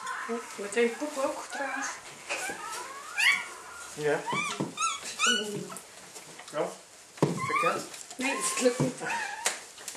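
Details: Newborn red female Labrador Retriever puppy, last of a litter of eight, just after birth indoors; thin high squeaks and whimpers rising and falling in short bursts, mixed with people speaking Dutch softly and praising.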